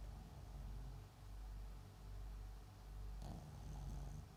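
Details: Low, purring snore from a dozing Papillon × Japanese Chin mixed-breed dog called MAX: slow rounded swells of breath, with a short raspy snort around three seconds.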